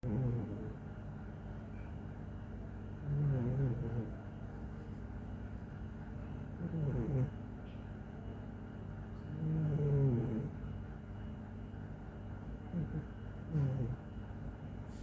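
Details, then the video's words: Bimo, a pet cat, snoring steadily: low rumbling snores recur about every three seconds, each a short raspy burst of breath over a quiet indoor hum. "Bimo ngorok"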